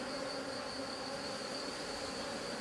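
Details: Continuous low buzzing of a drone-laying honey bee colony as beekeeping work goes on, even in pitch and loudness throughout.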